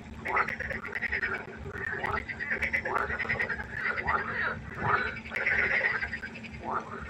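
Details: Night chorus of pond frogs, several callers overlapping with harsh, descending croaks about once a second, a few brighter nasal notes standing out, over a low steady hum.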